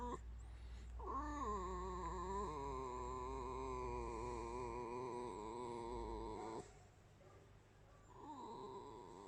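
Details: Pet red fox in its home giving a long, wavering, high, creaky squeal of about five seconds with a steady tone, then a shorter squeal after a pause, over a low background hum.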